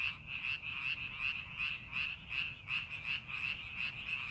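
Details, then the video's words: Paddy-field frogs during preparation for the farming season form a continuous chorus, their rapid pulsed croaks running together in a steady band, bursts recurring several times a second. "논에서 개구리 울음소리"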